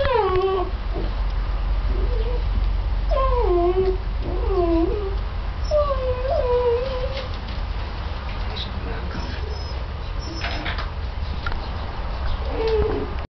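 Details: Mastiff puppies at play give high, wavering whines and yelps that slide downward, several in quick bursts over the first six seconds, then sparser cries; low rumbling background throughout.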